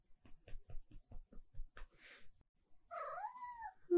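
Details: Siberia, a silver tabby cat, in her morning routine, asking for breakfast and petting. Soft low pulses come about every quarter second, then one drawn-out meow that dips and rises again before trailing off.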